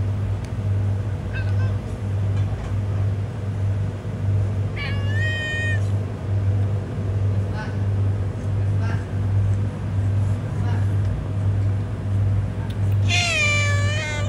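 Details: Homeless cat on a road giving several harmonic meows: fainter short cries early on, a strong drawn-out meow near five seconds and a loud rising-falling one near the end, over a constant low engine-like drone.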